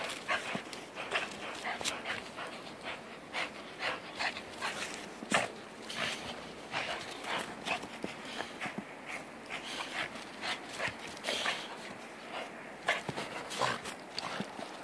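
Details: Two dogs, Jack and Bobby, playing together in a snowstorm; quick breathy bursts of panting repeat steadily throughout, with the scuffle and crunch of play mixed in.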